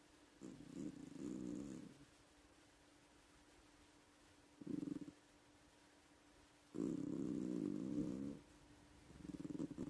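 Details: Female pet cat snoring loudly while asleep indoors: soft, rasping, breathy bursts in a low register, each lasting one to two seconds, separated by quiet pauses of uneven length.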